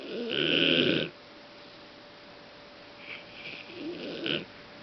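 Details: Golden Retriever named Fang snoring loudly indoors, worn out after accompanying a friend's dog to a show at Intex Osaka. Two rough, breathy rasps: a loud one lasting about a second, then a softer, longer one about two seconds later.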